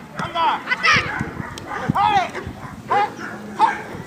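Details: Defence training at FreeDog with Amba the Labrador Retriever: short, forceful barks repeated roughly every half second to second, alternating with bits of human speech.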